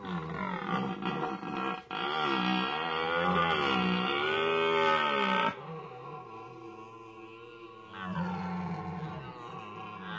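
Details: Red deer stags on the Aubrac in France bellow during the rut after sunset, long, deep, groaning roars that rise and fall in pitch, challenging each other. Filmed in the early 2000s; soft music may sit underneath.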